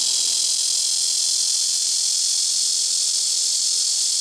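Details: Loud blackish cicada song from rooftop trees at a house: an unbroken, shrill, high-pitched hissing drone holding steady throughout, with a faint low hum underneath.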